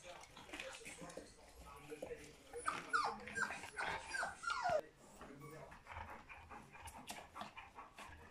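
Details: Three-week-old puppies from Charlotte and Magic, with a short run of high, thin, falling whimpers in the middle and quieter squeaks around them, over a background of human speech and indoor noise.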